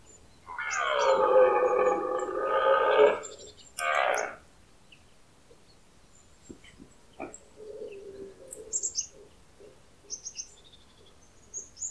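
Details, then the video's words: Red deer stag bellowing during the early-autumn rut in the Pyrenees, stags answering one another: a long, hoarse, harmonic roar of about two and a half seconds, then a shorter grunting burst, with faint bird chirps afterward. "A l'écoute du brame du Cerf"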